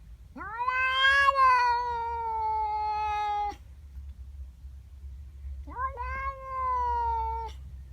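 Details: Female domestic cat yowling at a neighbour cat in her garden in the morning, upset at the intruder: a long drawn wailing yowl of about three seconds, then a shorter rising-falling yowl after a pause.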